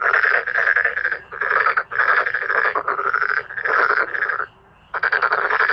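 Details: Loud male black-spotted pond frogs in a croaking chorus. Harsh, grating pulsed calls follow one another closely, broken by one silent gap of about half a second before calling resumes.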